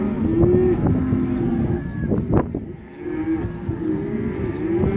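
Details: Black Angus bull calves, a group of 67 weighing 180 to 190 kg, lowing with drawn-out, mid-pitched moos that swell and fade over about a second, several overlapping through steady low background rumble.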